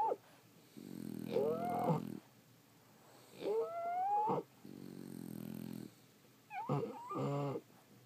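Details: Sleeping French Bulldogs snore in roughly one-second rumbling breaths, each inhale topped by a thin rising whistle and wheezy squeak, with brief silent gaps between breaths.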